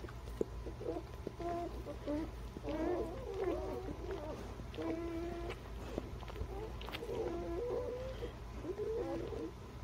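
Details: Newborn puppies, from birth to three weeks old, giving faint, high squeaky whines and wavering squeals in a steady chorus of several overlapping voices, with a constant low hum underneath.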